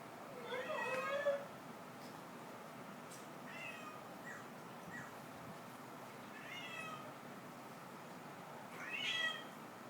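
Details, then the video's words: Cats fighting; several harmonic meows rising and falling, a long wavering one at the start, shorter wails near four and seven seconds and a loud upswept cry near nine seconds, over a low steady hum. "Cat fighting"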